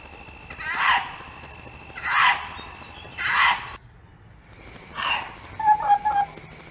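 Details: Fox in the mating season, when foxes call out to each other. Three harsh, hoarse barks about a second apart, a short pause, then a fourth bark followed by faint squeaky notes over a low, steady background hiss.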